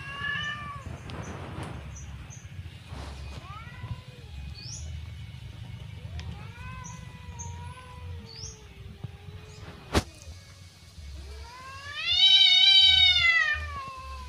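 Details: Persian cat and village cat fighting in a garden: drawn-out, arching yowls that rise and fall, repeated every second or two, swelling into a loud, strained wail near the end, over a low engine hum with one sharp click.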